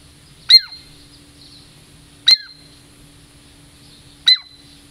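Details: Female pet Douglas squirrel, a native Puget Sound lowland squirrel, approaching for a treat: three sharp, high, downward-sweeping squeaks spaced about two seconds apart, with a steady high tone lingering after each over a quiet background.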